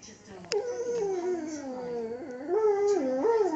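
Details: Pet Lhasa Apso singing along to the Coronation Street theme tune: a long, wavering, moaning howl that dips low, then lifts in short steps. Faint background sounds run underneath.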